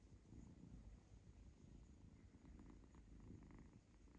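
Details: Little kitten purring with pleasure while stroked and scratched on the tummy by its owner, indoors; a steady low rumbling purr runs throughout, with soft faint clicks and rustles of handling above it.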